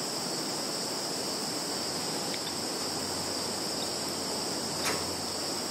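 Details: Insects in a Russian field, Zhukovsky district of Kaluga region, 11 September 2019, phone-recorded; an unbroken high steady shrilling with a faint higher overtone band and a single brief click near the end.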